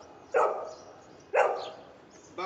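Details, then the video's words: Golden retriever barking on command during a speak training session: two sharp, single barks about a second apart, then the start of a third at the end; otherwise quiet. "golden retriever speak dog training"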